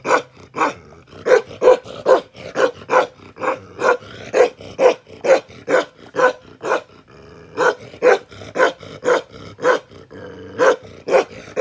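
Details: Bakarwal dog, kept as an aggressive protection dog, barks rapidly in a dense run of gruff, forceful barks. A short lull falls midway, then the barking resumes just as fast.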